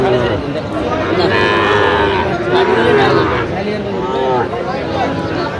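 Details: Sahiwal bull calves at the Aftabganj cattle market in Bangladesh on 28 September 2025, where Dhaka farmers are buying. Drawn-out harmonic moos wavering up and down over steady crowd murmur, with voices and a brief burst of music.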